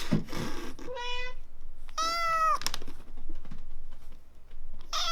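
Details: Samson, the kitten pulled from a car under repair and since grown up, meows twice indoors: a short mew, then a longer, louder one. Rustling noise comes before and after the calls.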